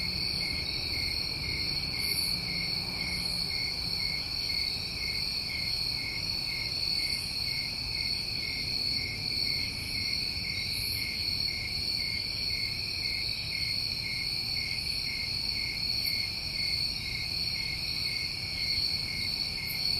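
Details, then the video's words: Crickets on a New England summer night, a dense steady chorus of continuous high trilling in two bright bands, one high and one lower, unbroken throughout, with faint brief raspy bursts higher still every second or two. "Over 1 Hour Of Tinnitus Masking With Crickets"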